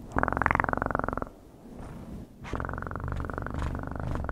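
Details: Domestic cat purring in two steady bouts, a low rapid rumble pulsing with bright bands up to mid pitch, separated by a quiet pause of about a second.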